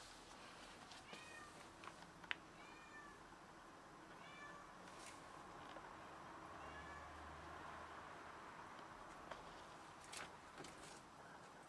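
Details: Domestic cat that has caught a rat and brought it to show off, giving a run of short, arched meows in the first five seconds, then quieter, over steady background hiss with a few clicks.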